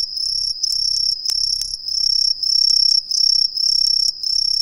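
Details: Introduced Green tree crickets calling from residential street trees in Ehime, Japan: loud piercing high trills in bursts about every half second over a constant shrill chorus, with some low background rumble and brief clicks.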